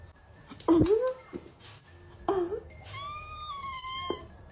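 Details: Domestic cat indoors, from a funny cat compilation: two short meows rising then falling in pitch, followed by a longer, higher, steady drawn-out wail, with human voices in a small room.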